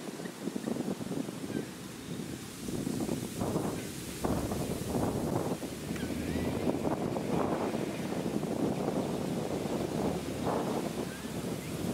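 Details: Steady wind buffeting the microphone over lapping water, with no clear animal call.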